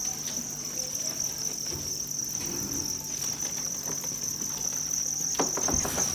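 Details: Crowded field crickets kept on a Vietnamese cricket farm in Nam Định and Hà Nội: a constant high-pitched trilling chorus runs without pause, overlaid by occasional knocks and rustling from handling.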